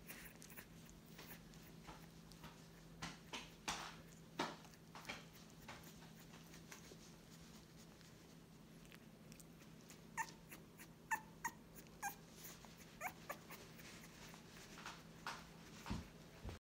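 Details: Staffordshire Bull Terrier puppies from a newest litter, indoors in a small room; a few brief, high squeaky whimpers cluster between ten and thirteen seconds, set among sharp clicks, taps and handling rustles throughout.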